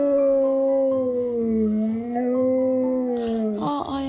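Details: Siberian Husky howling while trying to wake its owner who is sleeping in, wanting to play; long sustained harmonic howl wavering gently in pitch, dipping then rising, ending with a short broken yelp, with faint music behind.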